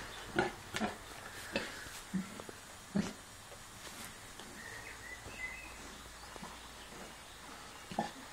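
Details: Kunekune sow with her five-day-old piglets, not very well but nursing them; scattered low short grunts and snuffles, several in the first three seconds then sparser, with a faint high squeak midway.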